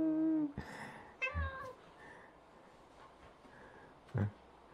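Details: Cat, described as having stopped growing for three years, meowing indoors with another cat: a steady harmonic mew, then a short rising mew, and a low brief sound near the end.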